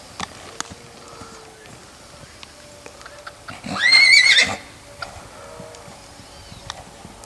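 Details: Six-month-old purebred Lusitano horse at a stud farm: one short, high whinny near the middle, under a second long with bright wavering tones, set against faint clicks and low background noise.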